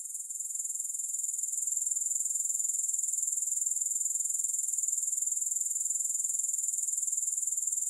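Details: A steady high-pitched grasshopper trill, free of music, swelling slightly over the first seconds and then holding a constant rapid pulsing buzz throughout.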